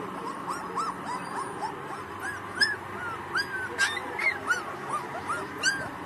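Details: Pakistani Bully Kutta pups about a month old, giving soft, high, curved whimpers roughly every half second against a constant noisy hum.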